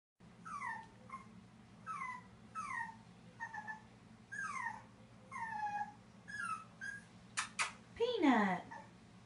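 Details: Black and white Boston Terrier puppy standing outside a large empty bathtub, whimpering because he wants a bath: repeated high falling whines in short bursts, about one per second, ending in a louder scrape and crash-like thump indoors.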